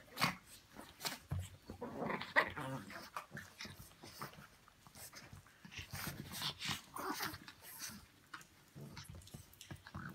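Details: Brussels Griffon dogs indoors at a pyjama party, making low rumbling growls and short grunting vocalisations in bursts across the recording, with soft rustling and handling noises in a small room.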